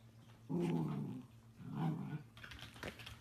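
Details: Dachshund growling: two drawn-out low, throaty rumbles under a second each, separated by a brief pause, then soft rustling and clicks in a small quiet room.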